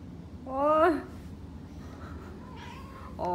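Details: During a massage she can't get enough of, Chara the cat gives a loud, sharply rising meow that breaks off abruptly, then a quiet pause and the start of a second meow at the end; low background hum throughout.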